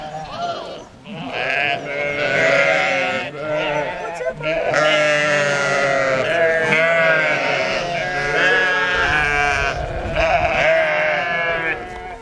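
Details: Two lambs rejected by their mother and now fed by a sheepdog that still has puppies of her own, on a sheep farm. Wavering, harmonic-rich bleats run almost continuously, overlapping with lower-pitched tones in the background.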